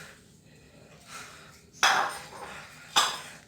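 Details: A few sharp metallic clinks and knocks sound over a quiet room hiss, with no clear animal voice.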